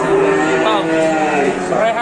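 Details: Cattle just brought to a pen in Indonesia, its nose torn through. A short, steady lowing moo, then a rising, wavering tone, heard over background talk.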